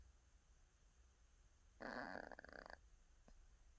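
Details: Cat snore during a daytime nap: one rough, fluttering breath lasting about a second, then a faint click and quiet room.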